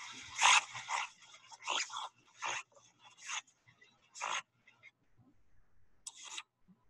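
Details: In a salt marsh, a mother North American river otter crunches a crab while her two pups play nearby: wet, crackling chewing bursts about every second with quiet pauses. A great blue heron and a blackbird call in the background.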